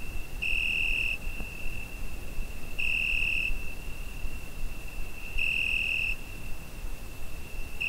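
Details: Summer-night cricket captured on a Zoom H5 recorder, giving shrill sustained pulses of roughly three-quarters of a second, repeating every two to three seconds, with a thin continuous whine between them and soft low rumble underneath.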